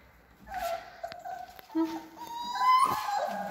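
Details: Three-week-old Alaskan Malamute puppies whimper and squeak in thin, wavering tones.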